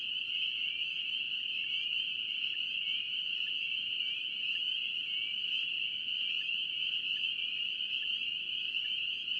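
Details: A massed chorus of spring peepers from North Carolina, shrill high-pitched peeps pouring out nonstop and merging into a constant sharp ringing drone, even in volume across the whole stretch.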